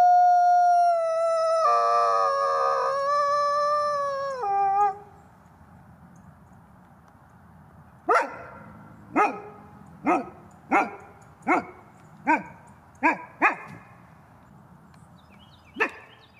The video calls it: Wolf sound, gray wolf howling